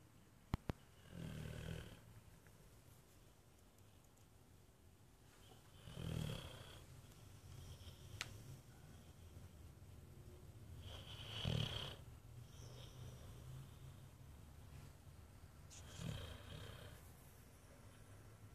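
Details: A sleeping Boxer dog snores in slow, rasping breaths. Four drawn-out snores come roughly every five seconds with quiet breathing between them, and a couple of faint clicks sound near the start.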